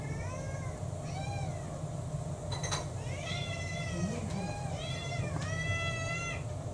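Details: Domestic cats at mealtime indoors, several mixed-breed cats in a multi-cat household: repeated clear meows, about five rising-falling harmonic calls spaced a second or so apart, over a steady low hum and faint clicks.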